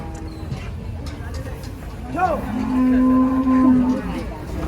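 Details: Cow at the Karanggede cattle market in Indonesia, where cattle are unloaded from trucks: one loud, steady, flat-pitched moo lasting about a second, preceded by a short rising grunt, over background crowd talk and traffic.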